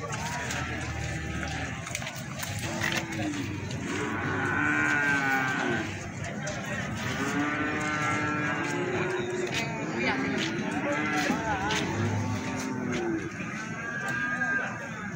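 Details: Many feeder cattle at the Plaosan livestock market in Magetan moo almost without pause, with long, deep, overlapping bellows that arch up and down, a steady chorus under faint crowd chatter and market bustle.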